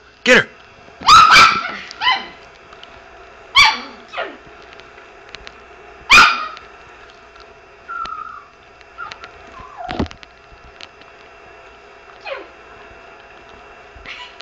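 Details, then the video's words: Indoor Chihuahua reacting to a recorded dog's barking with a few sharp barks early on, then quieter whines and soft yips, with a person's voice briefly heard. "the chihuahua barking"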